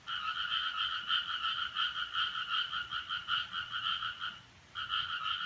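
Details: Frog heard at 4:13 on Friday, 7 July 2017, noted as a strange sound: a rapid pulsed trill held steadily for over four seconds, a short silent gap, then the rattling resumes.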